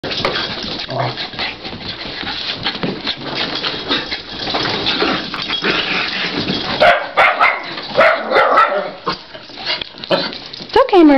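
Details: Excited dogs after a two-hour playdate running on tennis courts: shiba inus Tsuki and Kitsune with cairn terriers Eva and Murphy. Dense, overlapping yips and barks, then a rising, wavering whine near the end, with soothing human talk.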